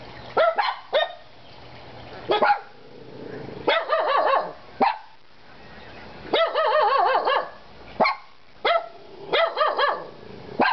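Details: Kona, Koko and Konnor, three dogs, mix sharp single barks with longer wavering, yodel-like yelps that rise and fall, in bursts separated by short pauses.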